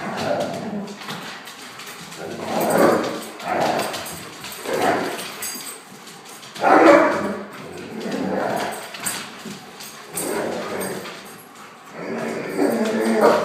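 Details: Playful Akitas roughhousing with a German shorthaired pointer, their noise being play talk rather than aggression. Separate loud growling and barking bursts every second or two, roughly ten in all, with quieter rumbling between.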